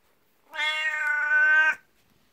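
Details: Indoors, a jealous 12-year-old black cat, Beni-chan, presses against someone's legs wanting attention like the 19-year-old elder cat gets; a single sustained, even meow lasting just over a second, rich in harmonics.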